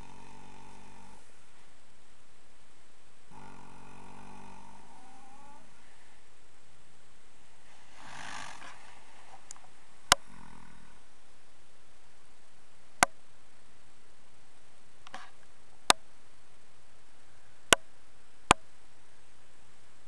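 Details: Ten-year-old foxtrotter Dream (Mischief at Sunrise) dozing in old hay piles in the afternoon after play. Rough, breathy snores come in several bursts, with a few sharp clicks later on.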